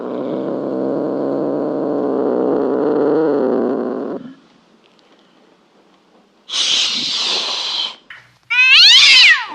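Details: Domestic cat, first a low, rough, steady growling sound for about four seconds, then a pause, a breathy hiss, and finally a short, sharp, rising meow at the end.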